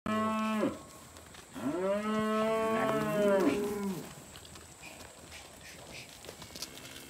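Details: Angus and Black Baldy weaner heifers at a Hereford and Angus weaner sale in Casino, March 2021: a short low moo, then a long drawn-out bellowing moo that bends in pitch, followed by quiet background noise.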